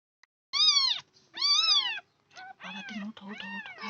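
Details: Newborn kittens of a local Bangladeshi breed meowing: two loud, high, arched cries, then a string of shorter, fainter mews over a low steady hum.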